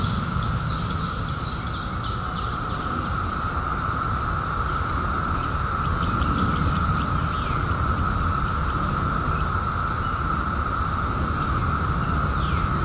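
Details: Continuous mid-pitched drone of cicadas from their 2021 emergence after 17 years, overlaid by a bird's rapid series of sharp descending high chirps in the first few seconds, then sparser high notes, with low background rumble.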